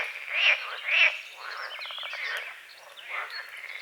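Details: Morning frogs on a small lake at the forest edge, two loud rasping croaks about half a second apart, then a rapid rattling pulse train and softer croaks, with birds whistling behind.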